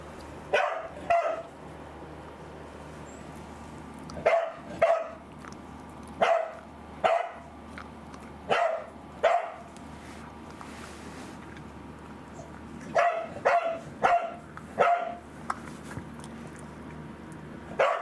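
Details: Pet corgi Angela, indoors and off her food from anticancer drug side effects, barks in short bursts of two or three sharp yaps, pausing a second or two between groups, over a low steady background hum.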